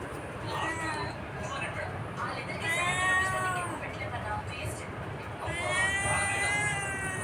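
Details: Cat giving several drawn-out, arching meows, some rising then falling, spaced a few seconds apart, mixed with a person talking and steady background noise.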